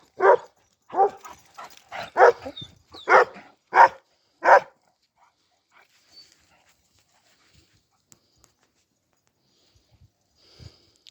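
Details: Kangal pups barking, six loud irregular barks over the first five seconds, then near silence with only faint rustles and a few soft distant sounds.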